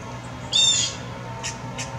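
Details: Squirrel in an anxious state giving one sharp, scratchy call lasting under half a second, followed by two faint softer notes against a low constant hum.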